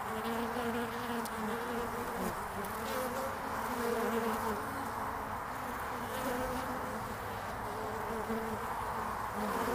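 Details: Honeybees on the landing board of a hive on 22 February 2019, in early spring. A dense, steady buzz from many bees, with overlapping droning tones that waver slightly in pitch.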